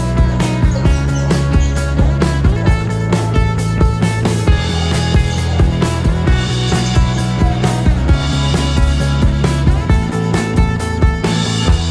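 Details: Loud rock-style music with heavy bass and a steady beat throughout, and no dog or other animal sounds.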